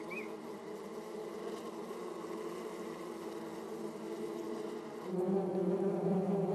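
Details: Hornets at a growing nest in a Korean mountain forest in summer, as a crested honey buzzard raids wasp nests: a steady, low droning buzz swelling louder and deeper toward the end, with faint hiss.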